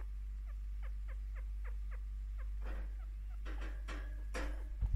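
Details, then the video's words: Pet chinchilla Picchu, a five-year-old female, happily chirping during scratches and attention: a run of small descending chirps in quick succession for two seconds, then rustling and handling noises take over, over a constant low electrical hum. "Actual chinchilla chirping, content/happy chinchilla sound"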